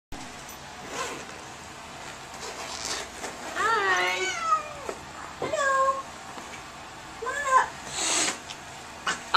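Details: Domestic cat, angry and freaking out during a vet visit, gives several drawn-out wavering yowls with rising and falling harmonics, separated by quieter pauses; faint music and room noise behind.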